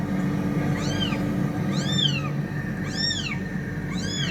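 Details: Fighting cats: four clear, arched meows roughly one second apart, each rising then falling in pitch, against a heavy low rumbling hum.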